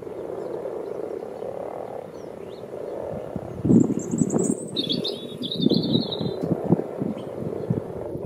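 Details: Frogs frolicking in a garden wildlife pond dug 14 years earlier give low, pulsed croaking bursts in an irregular series during the second half, while birds chirp and twitter high above and steady wind noise runs throughout.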